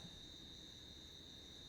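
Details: Crickets calling at night in the jungle of Ranthambore, a night sound worth listening to: a faint, steady high-pitched trill held unbroken as a single thin band, over soft low rumble.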